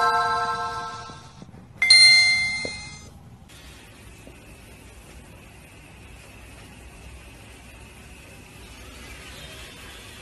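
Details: Bright bell-like chimes ring out for about three seconds, then fade into a faint steady hum with no animal calls.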